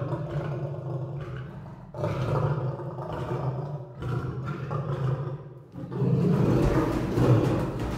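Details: Continuous lion roars and growls: heavy, rumbling low-pitched calls in repeated surges, rising into a louder, rougher roar toward the end with barely any silence between.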